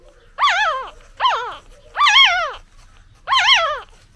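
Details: Newborn puppy crying to call for its mother: four loud, high, wavering whines, each rising then sliding down, spaced about a second apart, with quiet gaps between.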